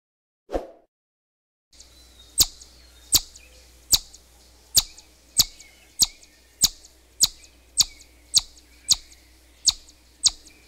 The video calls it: What does a Chipmunk sound like? - Animal Sounds